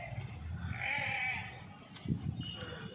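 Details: Village flock of sheep on the move with shepherds, a ram among them; one drawn-out wavering bleat early on, followed by low rumbling and shuffling noises.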